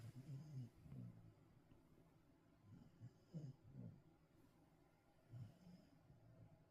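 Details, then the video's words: Sleeping Welsh Corgi snoring indoors: soft, low rumbling snores arriving in short bursts roughly every two seconds, with quiet breathing between them and a faint hiss of room noise. "코골이 송아지 검거"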